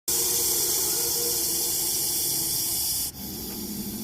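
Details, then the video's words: Russell's viper hissing: a loud, steady, breathy hiss held for about three seconds, then a sudden break and a softer continuing hiss. "Hissing sound of Russell's viper"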